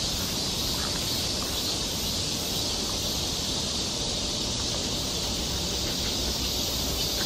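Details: Summer cicada chorus on a Seoul forest trail in Korea, a dense continuous high-pitched buzzing wash that never pauses, with soft low background rumble.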